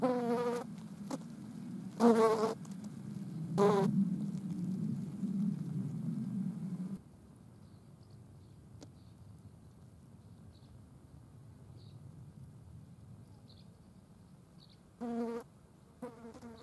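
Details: Green bottle flies feeding on a dead mouse, several sharp buzzing bursts over a low rumbling hum for seven seconds, then near quiet until two more buzzes near the end.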